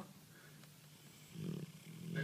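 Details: A dreaming dog snores softly, low rumbling breaths that grow louder into throaty snorts in the final second, over a faint steady hum.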